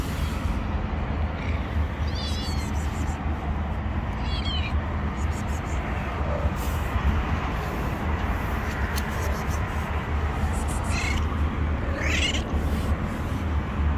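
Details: Kittens hiding under rocks give several high, thin, wavering mews, scattered at irregular intervals, over a steady low rumble of engine or wind noise that dominates the background.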